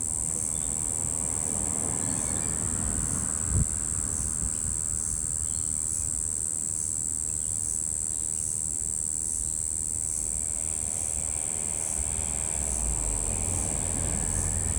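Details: A Brown Bunyip cicada (Tamasa tristigma), possibly a Double Spotted Wattle cicada, gives a steady, monotonous droning buzz with a faint regular pulse; recorded 3 February 2023.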